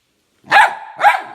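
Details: Young chocolate Labrador Retriever indoors, refusing to let its owner onto the bed: two short, loud, tonal barks about half a second apart, each rising then falling, with a man speaking just before and after.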